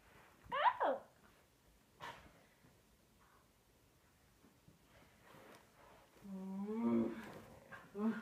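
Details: Husky called Angel vocalizing indoors: a brief sliding whine early on, then a lower, longer grumbling moan near the end, mixed with a woman's talk and laughter.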